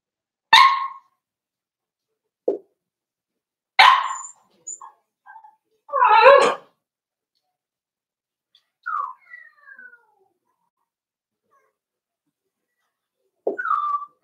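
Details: Daisy's four-week-old Cavalier King Charles Spaniel puppies in an indoor pen letting out sharp, short yips and squeaky barks at irregular intervals, with a longer rough yelp midway and soft whines between. Long silent gaps.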